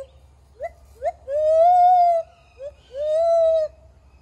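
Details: Young gibbon at Dade City's Wild Things practising its first song, two quick upswept yelps leading into a sustained, strong wailing note, then a brief hoot and another long arched wail; faint low hum underneath.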